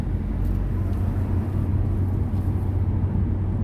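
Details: Steady low rumble of a running vehicle and road traffic, with no animal voice heard.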